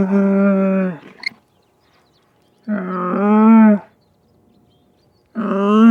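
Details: Long, throaty camel moans: three loud, sustained harmonic groans of about a second each, the middle one swelling in strength before fading, with quiet pauses between them.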